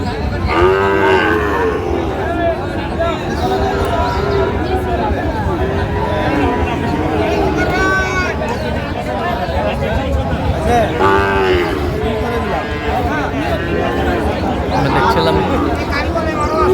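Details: Mooing at a Bangladeshi cattle market, with Sahiwal bull calves on sale near Jessore; long harmonic moos near the start and around eleven seconds, a shorter one near fifteen, amid constant haggling speech and market hubbub.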